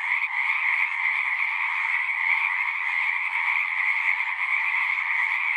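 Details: Pond frogs in a horse pasture sing together, their overlapping trills merging into a continuous shimmering drone with a strong high band and a softer lower one, unchanging in level across the stretch.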